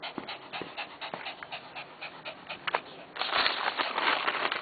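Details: A Lhasa Apso pants in quick, breathy bursts while tearing up and rustling a newspaper.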